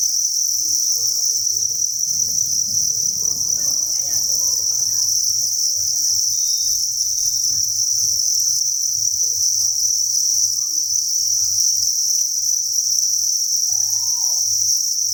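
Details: Dense chorus of farmed crickets, thousands together in a breeding facility, a constant high-pitched trilling drone throughout, over low rumbling handling noise and a low hum.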